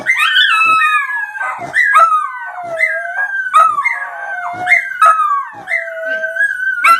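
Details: Dog howling in short, high, falling cries of about a second each, repeated in quick succession with sharp clicks and knocks between them.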